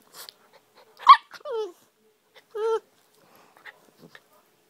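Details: A German shorthaired pointer puppy playing with a Jack Russell terrier. Two clear whining yelps slide downward in pitch, with a few faint short noises between them in an otherwise quiet room.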